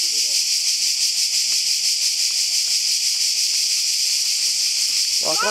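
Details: A loud chorus of cicadas beside a secret mountain path on a first trip to the sea. The shrill, hissing drone throbs in quick regular pulses, and a voice breaks in at the very end.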